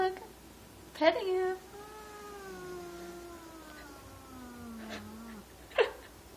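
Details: Two female domestic cats growling in disdain at a new kitten in the household, the kitten in no danger; a long, drawn-out tonal moan slowly sinks in pitch over about four seconds, after a sharp brief noise, with a later short clatter.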